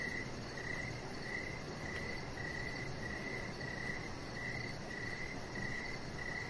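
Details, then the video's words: Evening cricket chorus outside beside a deck: high, thin chirps repeating about every two-thirds of a second, with a faint low background rumble. "Chihuahua Puppy Laying On Deck with Cricket Sounds"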